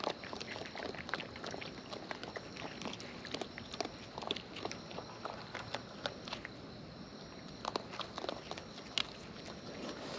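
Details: Raccoons in the wild eating at close range: rapid, uneven clicking and crunching bites with moist smacks, fairly even in loudness, set against a constant thin high hum.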